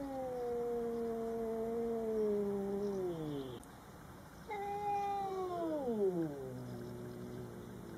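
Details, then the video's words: Cats Coco and Rocky confronting a Bengal neighbour cat at a first meeting: two long moaning yowls, the first slowly falling and fading, the second rising then sweeping sharply downward into a low growl. "My Cats meets a Bengal neighbor for first time"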